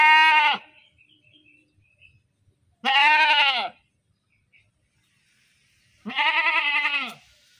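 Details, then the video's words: Goat screaming in loud, quavering bleats: one ending at the start, then two more about three seconds apart, the last shaky and trembling; faint soft noises between calls. "Suara Kambing, suara embek, kambing embek-embek, mbek kambing, suara kambing lucu"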